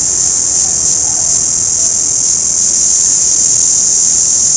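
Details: Orange cicada call that opens with a rapid pulsing throb, several beats per second, then settles into a smooth continuous high buzz.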